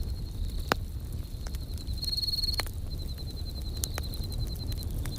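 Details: Campfire crackling with crickets chirping: a clear high pulsed trill swells around the middle, then continues in regular short bursts. Occasional sharp pops from the burning wood punctuate a soft low rumble.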